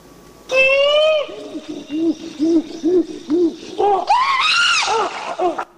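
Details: An excited chimpanzee gives a run of low, hooting calls that climb into loud, high screams; the low sounds are oo-like and the high sounds ah-like.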